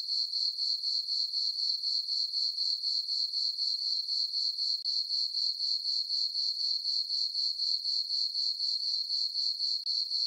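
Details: Crickets chirping on a peaceful summer night in a farm meadow under a full moon: a steady, high, ringing trill pulsing about four times a second without pause, with no other sounds.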